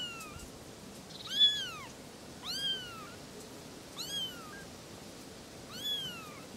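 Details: Three little kittens talking: four clear, high kitten meows spaced about a second and a half apart, each curving up then sliding down, over a quiet background.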